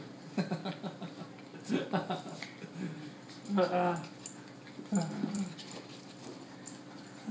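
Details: A 12-week-old female Corgi puppy playing with a new human friend gives short, high yips and whiny barks, with people talking and laughing nearby.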